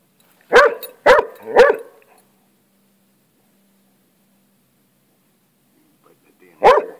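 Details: Pet hound obsessed with lizards, barking at a lizard it is interacting with: three sharp barks in quick succession, a long quiet pause, then one more bark.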